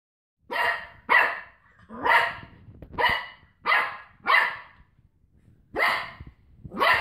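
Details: Cocker Spaniel wrestling with a washing tablet carton, giving eight sharp, harsh barks at uneven intervals, some closely paired, with brief quiet gaps between them and no other clear sounds.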